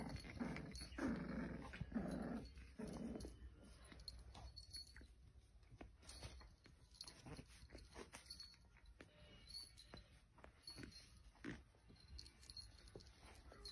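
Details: American cocker spaniel, a white and red parti-color female with her litter: three loud, rough, harmonic bursts in the first three seconds, then softer scattered whimpers and rustling noises.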